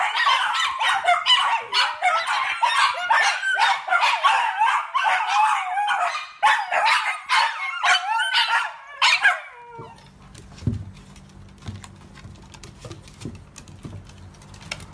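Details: Miniature Dachshund barking: rapid, sharp, high yips and barks repeated about twice a second for roughly nine seconds, then stopping abruptly, leaving faint low room noise and a few soft clicks.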